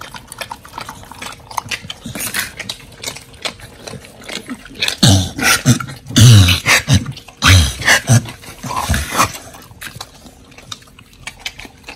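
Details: Pit bulls Oli and Nommy eating raw giant white snapper: soft scattered chews give way midway to several loud, deep crunching bursts with throaty snorts, then quieter gnawing again.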